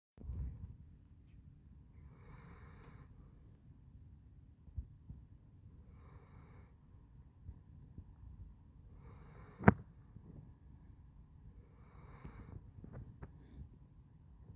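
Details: Basset Hound named Handsome Jack snoring: soft, breathy snores come in bursts roughly every three to four seconds over a low, steady rumble, with one sharp click near the tenth second.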